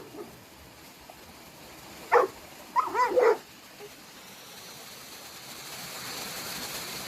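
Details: Boerboel playing outdoors on a river while a person urges it on: one sharp bark, then a short pair of strained yelping barks, with steady background hiss.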